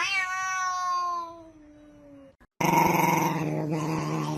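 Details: Domestic cat letting out a long, smoothly falling drawn-out yowl, then after a brief silence a loud, rough, noisy growling sound indoors.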